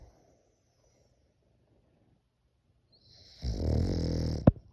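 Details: French Bulldog snoring indoors, its snore compared to a person's: quiet for three seconds, then one loud, rough, low rasping breath lasting about a second, ending in a sharp click.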